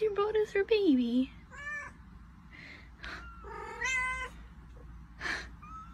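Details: Domestic cat meowing: a loud high meow sliding steeply down in pitch, then shorter, drawn-out harmonic mews and a few breathy sounds spaced over several seconds, with a low background hum.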